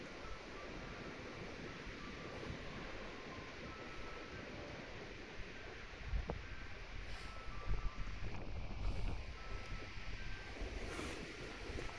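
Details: Steady outdoor wind rumble buffets the microphone at Kushiro Zoo, with a faint thin tone, a few soft knocks and no animal voice.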